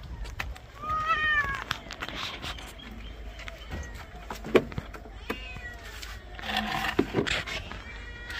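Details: Pet cat protesting during a bath, giving a short rising-then-falling meow early on amid splashing water, handling noises and scattered thumps, with fainter cries later.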